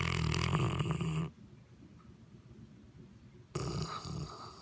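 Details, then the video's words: An English Mastiff named Bettis asleep indoors while football is being watched, giving loud, harsh, rasping snores: one long rumbling breath, then a quiet pause of about two seconds before the next raspy snore begins. "Want an English Mastiff but enjoy your sleep?"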